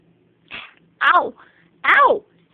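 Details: Buddy, a pet cat, during play with toys and hands, gives two short, arched meows about a second apart, each falling in pitch at its end, after a brief softer sound. The room is otherwise quiet.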